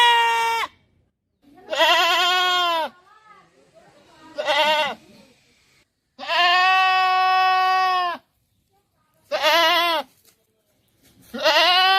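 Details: Goat repeatedly bleating, six calls ranging from short nasal bursts to a two-second sustained bleat, irregularly spaced with brief quiet gaps and faint rustling.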